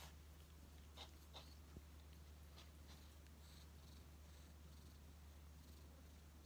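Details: Odd-eyed white rescue cat Shaolin, found emaciated in autumn 2018, rests affectionately on a lap indoors; a continuous low purring drone runs under a few faint ticks and light rustles.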